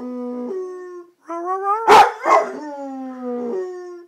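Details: A pet red-nose pit bull, male, gives long steady howls: level tonal notes that step downward, interrupted midway by a couple of rough barking bursts before the drawn-out wail resumes and fades.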